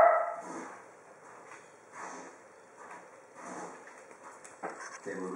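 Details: A nearly 12-year-old female Cavalier King Charles Spaniel in Australia gives short, sharp barks in scattered bursts at grizzly bears on a TV screen.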